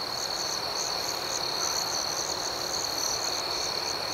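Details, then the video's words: Night chorus of crickets: a steady high ringing trill runs throughout, with a softer pulsing buzz above it that swells and fades about twice a second. No other sounds are heard. "Soothing Cricket Sounds"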